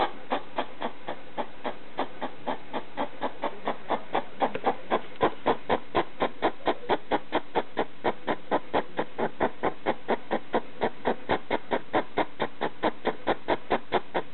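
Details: A hedgehog kept as a pet barks at a slipper late at night, a long unbroken train of short huffing pulses, a little over two per second, growing louder after the first few seconds.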